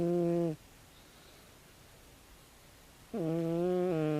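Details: Sleeping 16-year-old calico cat snoring loudly: a droning, nasal snore cuts off, a pause of nearly three seconds of quiet follows, then the next long, steady buzzing snore begins.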